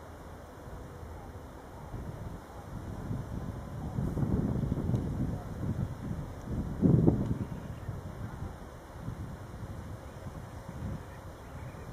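Low rumbling wind buffets the microphone, rising and falling, with faint steady electrical hums and no clear animal voice.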